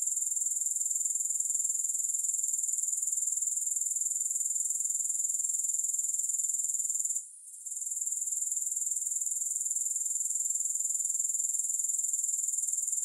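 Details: Grasshoppers, with no music: a high, hissing trill pulsing at a regular four beats per second across the whole recording. It is interrupted by one brief dip around seven seconds, with nothing else audible.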